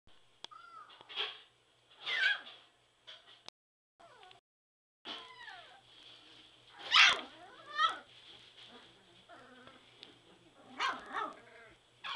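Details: Three-week-old Border Collie puppies in their whelping box, giving scattered high squeals and short bending whines, several overlapping, with quiet gaps between bursts.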